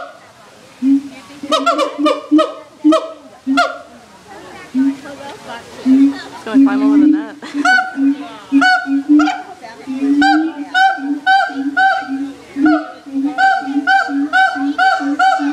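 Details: A long calling bout from siamangs at the Erie Zoo, heard throughout the zoo. Clusters of hoarse, honking barks give way to a steady, quickening run of loud, ringing notes that continues to the end.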